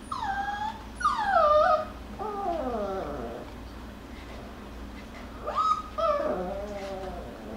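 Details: Jackabee (Beagle Jack Russell) puppies playing, wrestling and crying: loud harmonic wails that sweep downward, a long descending baying cry, then rising-and-falling yelps, all over a low steady hum.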